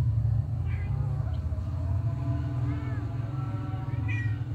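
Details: Mother cat licking and loving her kittens; two faint, thin rising meows, near the start and near the end, over a steady low hum.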